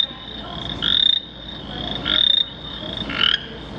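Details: A recorded exhibit sound of frogs found along the Tar River, North Carolina, played at a push button: three raspy, pulsed croaks, each under half a second and about a second apart, over a steady high-pitched insect-like hum.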